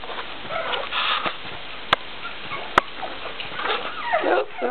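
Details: Baby Cocker Spaniel puppies waking up indoors, giving soft, wavering high whimpers and squeaky whines that rise and fall, with a couple of sharp clicks and low room noise.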